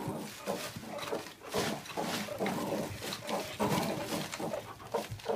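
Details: An adult male meerkat from a mob of ten gives rapid, gruff chattering calls while aggressively guarding his mealworms from the others, including his father.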